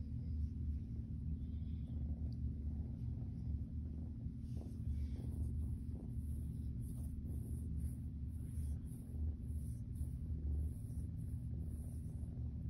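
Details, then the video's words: Zurvān the Siamese kitten gets belly rubs while a deep, even rumble of purring continues for the whole stretch, with light brushing and rubbing noises over it. "Purrs, Big Stretches and Toe Beans"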